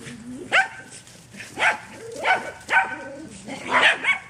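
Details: Back-yard romp by a dog: sharp barks with a rising onset, spaced about a second apart, over a quiet background.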